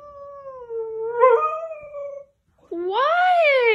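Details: Siberian Husky screaming and howling indoors: one long, steady, tonal howl that fades, a short pause, then a second louder howl that climbs and bends down again.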